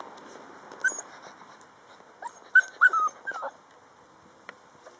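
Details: A litter of eight puppies, out in the garden for the second time, playing, running and romping, give short, high whimpers and yips in quick irregular bursts, some rising then falling, over soft hiss.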